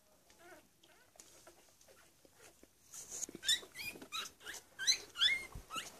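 Week-old Cavalier King Charles Spaniel puppies give thin, high squeaks and whimpers in quick bursts.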